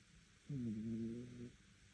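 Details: Dog snoring indoors, loud enough that the neighbours can hear it: one drawn-out, droning low tone lasting about a second, steady in pitch with a slight wobble, then quiet room hum.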